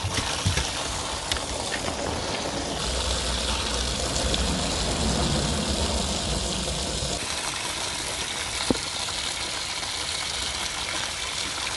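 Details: Continuous loud rushing of water or engine-like noise fills the recording, with no clear animal voice.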